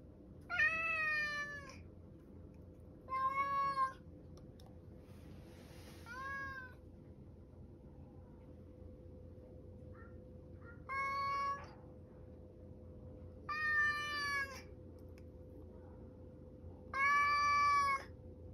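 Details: Male rescued house cat, born spring 2019 (estimated), indoors in Higashiomi, Shiga, Japan, crying to be let outside while its elderly owner doesn't respond. Six loud, harmonic, drawn-out meows roughly every three seconds over a steady low electrical hum.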